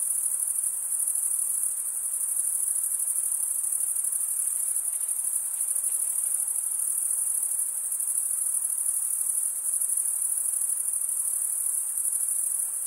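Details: Summer night in the forest, crickets chirping: a dense high-pitched ringing chorus holds level throughout, a fine shimmer of rapid pulses, nothing else audible.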